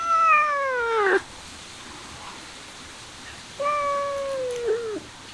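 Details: Cat, said to be eating grass, gives two drawn-out meows: a falling, harmonic-rich cry about a second long, a pause of over two seconds, then a second, steadier meow ending in a brief upturn. Quiet surroundings otherwise.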